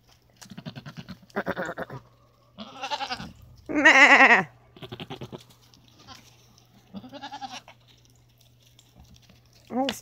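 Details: Domestic goats being coaxed to call: one loud, trembling bleat stands out among short speech bursts and imitation bleats from a woman talking to the animals, with a faint hum behind.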